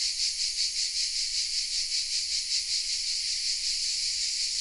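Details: Chorus of cicadas in oaks at Vézénobres, southern France, recorded with a Sony RX10 M3: an unbroken shrill, rasping drone pulsing rapidly, about two to three beats each second, with nothing else audible.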